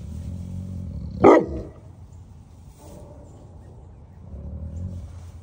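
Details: Great Pyrenees livestock guardian dog on a farm in Knoxville, Tennessee, barking to alert to something outside: one loud, deep bark, followed by quieter low rumbling and background noise.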